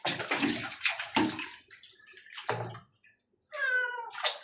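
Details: Pet cat calling out as a second cat gets washed: a harmonic wavering meow late in the clip after loud splashing and pouring water in a small bathroom.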